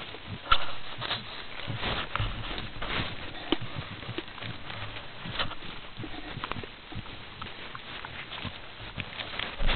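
White-lipped peccaries give a steady run of low grunts and sharp, dry clacking sounds.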